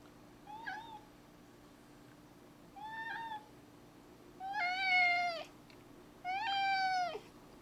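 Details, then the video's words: Zebulon, a 4-year-old male house cat, meowing indoors about a lizard outside. Four meows about every two seconds: two short soft ones, then two longer, louder, richly harmonic calls. Quiet voices talk between them. "Cat talks about a lizard"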